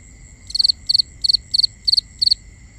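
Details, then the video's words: Nighttime cricket chirping in binaural ambience: six shrill high chirps, each a quick triple pulse, repeated about three times a second against a steady thin high tone and faint low rumble. "Cricket Conversations | Binaural Nighttime Ambience"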